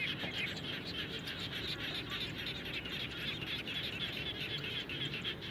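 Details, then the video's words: After rainfall near a house, many frogs keep up an unbroken chorus of rapid, overlapping pulsed trills over a soft low background murmur. "Natural Sound of Frogs After Raining"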